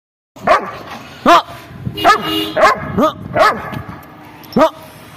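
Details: Afghan Kuchi, an Afghan Shepherd livestock guardian dog, in Pakistan, giving a series of loud, hoarse barks at uneven intervals, about six barks in quick succession.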